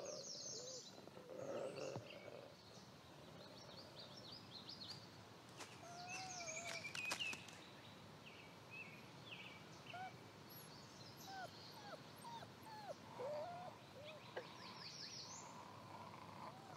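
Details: Wolves, the family of father Lighthawk and his seven relentless pups of the year; scattered short, bending whines and yelps come throughout, mixed with steady high bird song and chirps.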